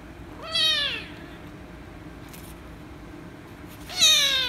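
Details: Angry rescue kitten meowing loudly when petted: two harmonic-rich meows about three and a half seconds apart, each sliding downward in pitch, over a quiet steady background hum.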